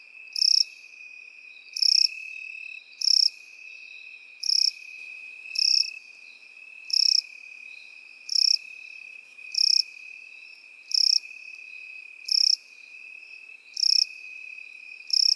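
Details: In meadow grass, crickets and grasshoppers give a steady thin high trill beneath eleven regular, loud buzzy chirps, one roughly every 1.4 seconds.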